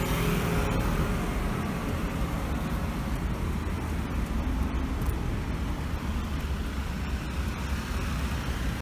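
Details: Loud, continuous roadway traffic roar during a walk with a black Labrador Retriever, with no barking or other animal sounds.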